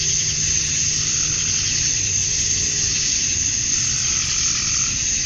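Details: Dusk in a Georgia, USA summer, with male cicadas calling for females: an even, high-pitched buzzing drone and a steady shrill overtone, unchanged in volume, plus a faint mid-pitched tone entering near the end and low background rumble.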